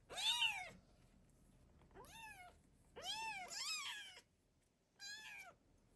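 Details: Domestic cat with her kittens, a mother protecting and feeding them; four short, high, arched meows with rich harmonics, each rising then falling, spaced about a second or more apart against a quiet indoor background.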